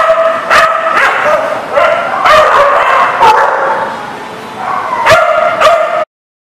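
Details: Dogs barking at a boarding facility on December 23, 2019; loud overlapping barks in rapid irregular bursts, several per second, with a reverberant, crowded background.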